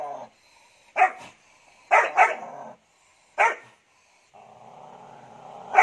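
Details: Sweety, a three-month-old Doberman pet, barking aggressively; short sharp barks come singly and in a quick pair, separated by a low sustained growl that rises into another bark at the end.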